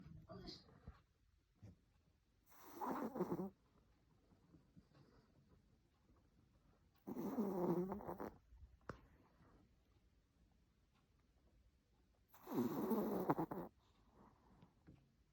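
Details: A sleeping Chihuahua snoring indoors: three breathy, rasping snores, each lasting about a second, come roughly every four and a half seconds, with near silence between them.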